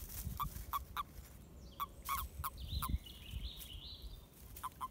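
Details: Mating-season toads giving brief croaking pulses in loose bursts with pauses between, while birds chirp and twitter higher up in the background.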